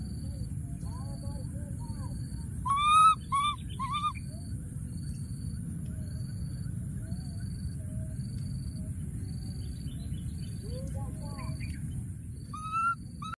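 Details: Baby monkey in the wild, sheltering in a thorny tree and calling to his friend, gives quick bursts of high, squeaky, arched cries, then scattered single squeaks, against a constant low hum and a repeating high beep.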